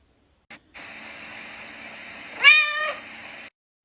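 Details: Domestic cat giving a single short meow, a bright harmonic call that rises then falls over about half a second, heard over steady background hiss in a quiet room.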